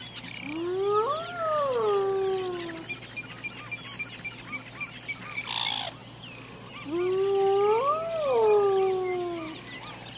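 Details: Hyena gives two long, rising-then-falling howling whoops at night over a steady, shrill buzz of insects (cockroaches).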